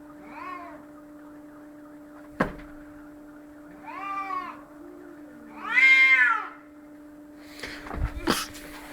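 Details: Cats in a fight: short rising-and-falling yowls that grow louder, peaking in a strained shriek near the middle, with sharp hissing spits between them and a constant background hum.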